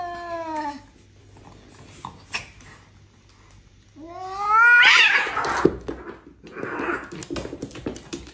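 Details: Cats fighting: long, harmonic, falling wails open the scene, then a rising yowl swells into a loud, harsh screech with spitting and scuffling bursts before fading into short, broken cries.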